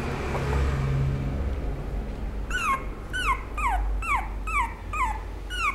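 A small dog gives a run of high, descending whines, repeated about twice a second over a low rumble.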